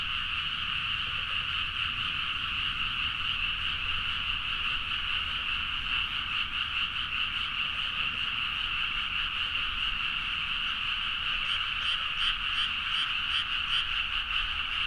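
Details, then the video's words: Great nighttime frog chorus in rice fields of Nagaoka, Niigata, Japan, made with a Zoom H4n; steady massed croaking throughout, with a closer frog's rapid pulsed calls rising clearly near the end. "The frog sound at mid night (環境,自然音 -深夜のカエル大合唱-)"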